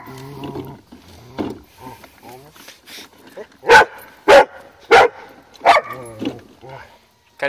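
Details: Female Rottweiler upset at a wagon: four to five harsh barks spaced roughly half a second apart, mixed with a person repeatedly telling her to stop and calm down.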